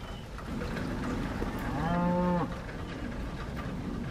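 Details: Cow on a farm during much-needed rain, with new calves around, giving a single low, steady moo of about half a second with clear harmonics, over a constant hiss of rainfall.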